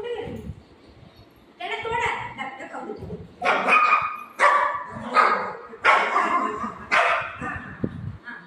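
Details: Golden retriever playing with its owner at home, giving a series of sharp, bright barks about once a second, mixed with a woman's voice talking and laughing.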